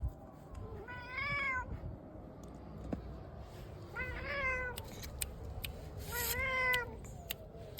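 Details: Angry pet cat attacking its owner indoors lets out three drawn, wavering meows roughly every two and a half seconds, with scattered clicks and rustling between them.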